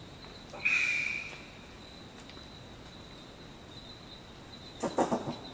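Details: Short-eared brushtail possum giving a wheezy, rasping shriek lasting about half a second, then a short cluster of three or four knocking staccato coughs near the end, over a steady high insect drone.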